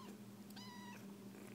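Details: A 3-week-old foster kitten indoors, searching for a nipple and nuzzling a blanket, gives a short high harmonic mew, with a steady low hum beneath and a woman's soft voice nearby.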